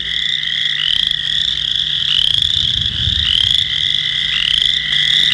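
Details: Western chorus frogs, apparently a group calling together, played back: overlapping high pulsed trills that rise in pitch, repeating about once a second without pause, over a low steady hum.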